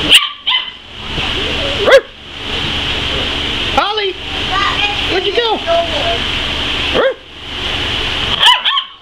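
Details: Tri-colored border collie "talking" with bursts of warbling, rising and falling whines and short yips, broken by quiet gaps, over a constant high-pitched background hiss.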